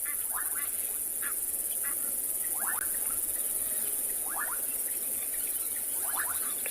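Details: An armoured ground cricket stridulates by beating plates beneath its cover, remnants of its redundant wings, in short rasping bursts of rapid pulses every second or two, on an afternoon safari in a South African game reserve near a stream in January.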